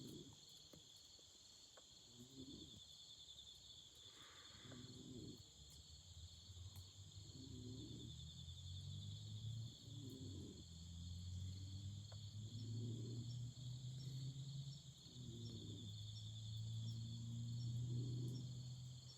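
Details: Autumn insects sing beside a campfire: a steady, unbroken high trilling in two layered bands runs throughout, over low soft pulses roughly every two and a half seconds and occasional faint crackles.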